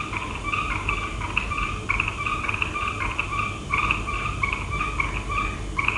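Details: Frogs at night in a dense chorus of short, twangy croaks, many overlapping callers repeating rapidly without pause, set against a low background rumble.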